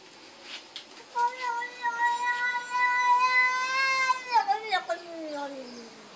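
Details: Domestic cat yelling: a long drawn-out harmonic yowl holding steady for about three seconds, then sliding downward into a falling, wavering moan, with a few short sharp hisses and a person's voice nearby.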